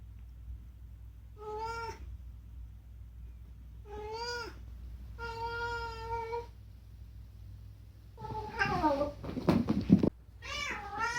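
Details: Rescued house cat talking indoors, voicing one of its two usual demands; three clear drawn-out meows spaced about two seconds apart, then a longer, rougher wavering meow and a final rising one over low room hum.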